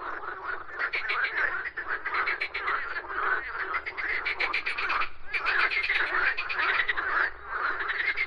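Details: Frogs croak in a loud, steady chorus; rattling trains of fast clicks overlap, pausing briefly twice before resuming at full strength.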